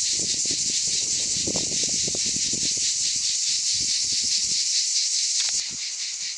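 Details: Cicadas in summer in the Aude, southern France, fill the air with a loud, steady, high-pitched buzzing drone that pulses slightly throughout.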